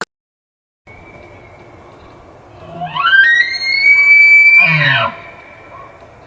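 An elk bugles: a low note sweeps up into a long, high, eerie whistle, then breaks off in rough grunts. A faint steady hum sits beneath it.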